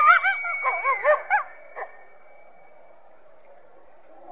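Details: Coyote making a quick series of short, warbling, up-and-down yips over about a second and a half, then a single faint yelp before quiet.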